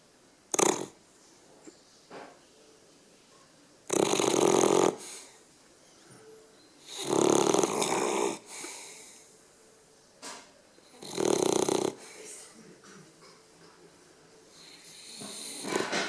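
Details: Sleeping little dog named Chelsea, a big snorer, gives rough rattling snores, four heavy bursts spaced roughly three to four seconds apart with soft breathing and small snuffles in between, indoors.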